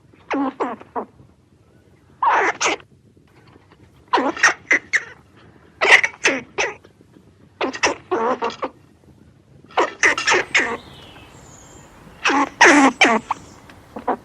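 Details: Squirrel giving rapid, harsh chattering bursts in clusters of two to four notes, the clusters recurring every one to two seconds over a low background hiss.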